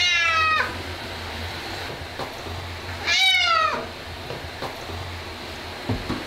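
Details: Ragdoll cat that hates baths, being washed; two loud harmonic meows, the first around half a second long, the second longer and falling at about three seconds, over steady humming and splashing background noise.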